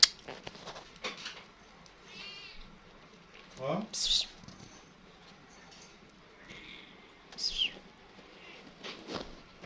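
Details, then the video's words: A small kitten hurries over when it sees its friend calling to it. Two high, thin mews sweep downward, one near four seconds and another near seven and a half seconds, while a person talks and calls softly, "pis pis". "صوت قطة صغيرة كيوت جاءت سريعاً عندما شاهدت صديقها ينادى عليها"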